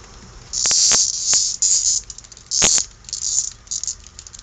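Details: Cicada caught by kittens at play, making short, loud, high buzzing bursts that start and stop in uneven spurts, separated by quiet gaps, with a few sharp clicks of handling.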